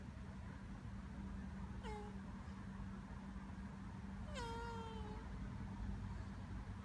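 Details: Tortoise calling while mating: two short squeaky, falling tonal cries with bright overtones, the second longer and drawn out, over a steady low hum and background noise.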